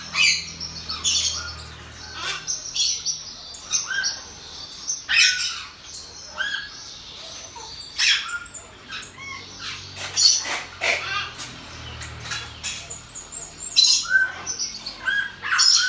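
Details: High, thin squeaks and tinny chirps from a pet pygmy marmoset, mother of two newborn babies, fill the room in rapid uneven clusters, with faint low hum beneath and a murmur of speech.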